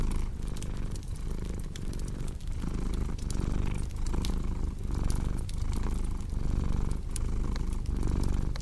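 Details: Cat's purr as a deep continuous rumble, pulsing slowly with its breathing at roughly one cycle every second or two, while a crackling fireplace snaps and pops throughout; a calming ASMR sleep mix.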